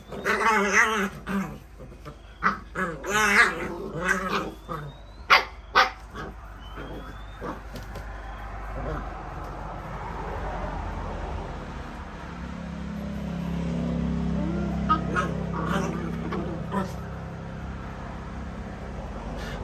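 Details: Playing puppies let out rapid high yips and small barks through the first six seconds, then fall quiet under a steady low rumbling background.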